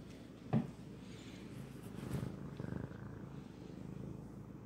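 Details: Low, even purring from a house cat fills the recording, opened by a short tap or click and otherwise almost free of voices.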